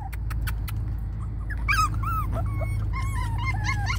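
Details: Spaniel/Papillon mix puppies, rescued from a kill shelter, give a run of thin arched whimpers and short yips from halfway on, after soft clicks, all over a constant low background hum.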